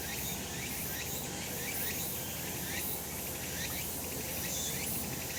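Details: Cicadas in a sunny spot on a summer mountain produce a dense, even buzz, dotted with repeated rising sweeps roughly every second and a few faint high chirps.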